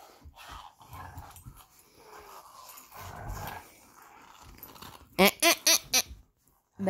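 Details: Two Belgian Malinois, Bullet and Apollo, playing tug of war with a favourite toy: low rumbling growls and scuffling, then a burst of four sharp, loud barks in quick succession near the end.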